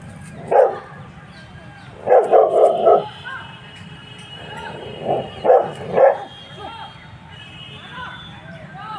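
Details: A Rottweiler barks at a buffalo in short bursts of loud, deep, gruff woofs, singly and in quick runs of three or four, with a person speaking faintly between bursts.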